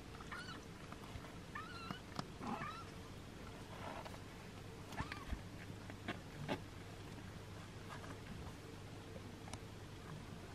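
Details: Six-day-old kittens being licked and washed by their mother give thin, high, wavering mews, clustered in the first two seconds with a few more later, over steady rustling and licking noise.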